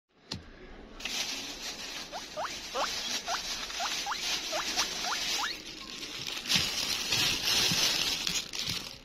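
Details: Hungry hamster screaming on seeing food: about nine short, sharply rising squeaks spaced roughly every third of a second over three seconds, over steady hissing and rustling noise.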